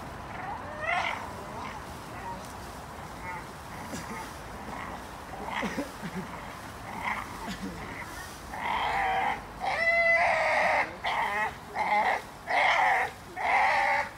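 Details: A Staffordshire Bull Terrier hangs from a tree while pulling off branches, giving strained, squealing whines and grumbles in short repeated bursts over rustling.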